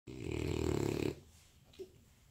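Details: A sleeping French Bulldog snores with one long, rattling, low breath, then falls quiet.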